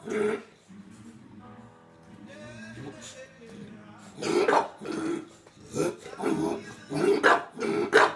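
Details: Bulldog Tinkerbell demanding marshmallows: a bark, then a stretch of background music with human voices, followed by a quick burst of loud, irregular barks.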